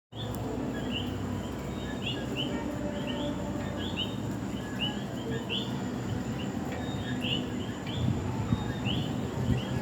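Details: Common coquis call in a night chorus in San Juan, Puerto Rico: short rising chirps repeating from several frogs at once.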